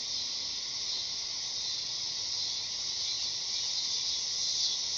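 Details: A dog-day cicada sings a flat, hissing, high drone that stays even throughout, with a faint low steady hum underneath.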